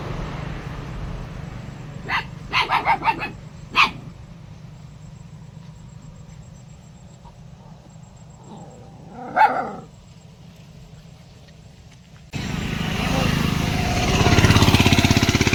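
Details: Dog barking in a short cluster of rapid barks, then a single bark, a longer whining yelp, and finally loud broadband noise taking over.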